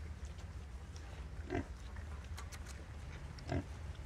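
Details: Mother wild boar nursing her litter of piglets; two short low grunts about two seconds apart over a constant low hum and faint clicking.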